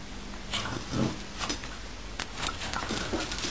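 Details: Dog wanting his bed back, making a short low whining grumble near the start followed by a run of soft clicks and scuffling taps, all over a steady background hum.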